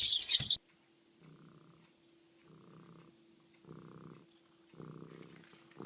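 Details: Domestic cat purring, heard as four soft, raspy, rumbling pulses about a second apart, each lasting roughly half a second, after a brief sharp noise at the start; otherwise a quiet indoor setting.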